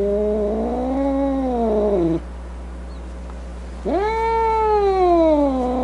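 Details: Grumpy domestic cat uttering two long, arching yowls separated by a short pause, the second starting with a sharp upward swoop before easing down; low electrical hum throughout.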